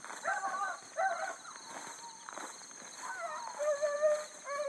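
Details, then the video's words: Bluetick coonhounds running hard on a big rabbit early in the morning, 7-22-12, a new pup among the pack. Several drawn-out, wavering bawls overlap, pausing, then rising again, with a steady high insect drone behind. "THE BLUE'S ON A BIG RUNNING RABBIT"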